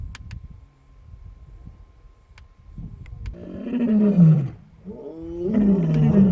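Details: A white lion with his brothers near Nsemani Dam, Kruger National Park, South Africa, gives deep, rasping roars that swell and fall twice in a few seconds, amid yawning and sleeping.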